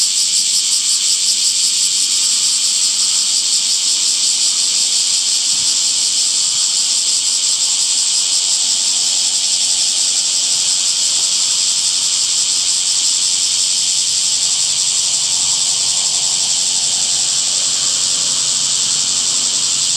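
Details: Cicadas in summer, a dense, steady, high-pitched hiss-like buzz that holds unbroken for the full twenty seconds with no clear pulses, shimmering evenly throughout.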